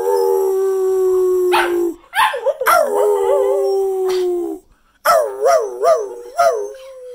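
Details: ['Cocker spaniel howling at Christmas 2019 in New Jersey alongside its owner. A steady drawn-out howl gives way to bursts of quavering, undulating notes, then a fresh run of rhythmic wavering howls after a brief silence.']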